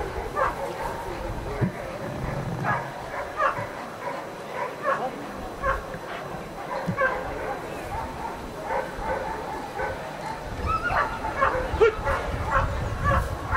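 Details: During a protection routine at the NIAK 2015 dog sport event, Ivar vom Falorie barks in long bouts of quick, sharp barks, mixed with human voices and low rumbling noise from the field.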